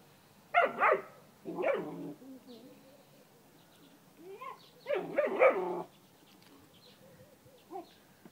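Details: Young German Shepherd investigating a swimming pool he believes holds a monster; a few short, sharp barks in pairs with pauses between, one faint yap near the end, a person calling the dog in the background.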